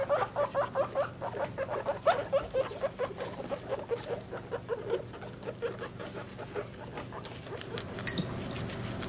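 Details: Guinea pig babies three weeks old, kept with their mother during a weight check. A rapid series of short tonal chirps, about four a second, fades after five seconds over a steady low hum and light rustling.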